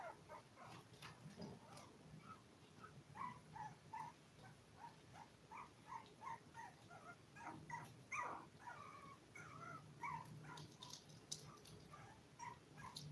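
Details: Litter of seven toy poodle puppies aged five weeks, kept indoors. Faint, scattered squeaky whimpers and yips repeat irregularly throughout, with brief clicks and rustling between them.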